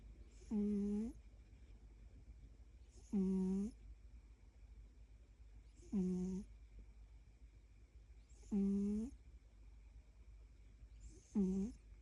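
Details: A snoring cat indoors gives five evenly spaced snores, one roughly every two and a half seconds. Each is a short, low, voiced buzz with a slight rise, and there are quiet pauses between breaths.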